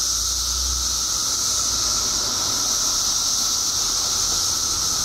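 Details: Mass emergence of 17-year periodical cicadas in Illinois, a vast chorus forming a constant high shrill wash layered over a thinner sustained tone, with a faint low rumble at the start.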